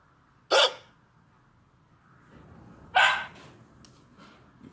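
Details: Young Dachshund puppy, seen with a tablet, lets out two abrupt, sharp yips roughly two and a half seconds apart, with faint rustling between them.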